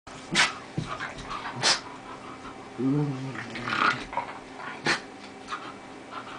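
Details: Two dogs at play, including an 11-year-old Lhasa in her first genuine play with another dog; low harmonic growls around three seconds amid scuffling, thumps and sharp clicks of movement.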